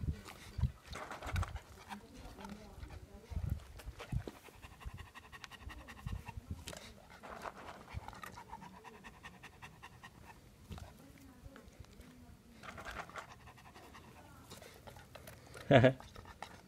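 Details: A German Shepherd in Ariano Irpino pants in heavy, rhythmic breaths, then gives one sharp bark near the end.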